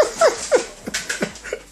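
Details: A male Alaskan Malamute, hyper and playing rough indoors in an office with a boy, gives short, whiny, falling grumbles in quick succession.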